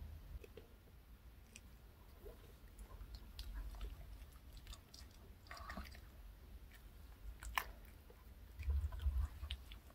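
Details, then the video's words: Reka, a pet dog, eats a chocolate cupcake and milk bought at K Pet Fair in an indoor ASMR session. Soft, irregular chewing and crunching clicks over a low room rumble, with a louder bite burst near the end. "강아지 먹방 ASMR 초코 컵케이크와 우유 Choco cupcake and milk MUKBANG eating show"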